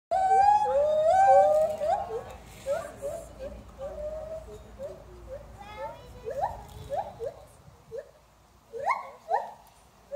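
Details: White-handed gibbons calling in a duet at Oakland Zoo: clear, pure hooting notes, some wavering and sliding, then a long series of short rising whoops about twice per second, building to louder upswept notes near the end.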